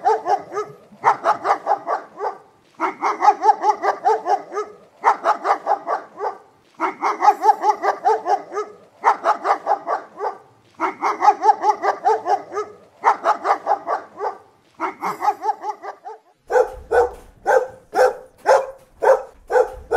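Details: Dog barking in tight bursts of rapid, harsh barks, each burst about a second long and separated by short pauses, shifting near the end to sharper single barks spaced roughly half a second apart; compilation of dog barking footage.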